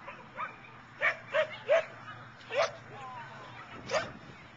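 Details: At an outdoor agility trial, Boone County Fairgrounds, Belvidere, June 2010, a dog gives a quick run of sharp yappy barks, about five in three seconds, over crowd chatter and general noise.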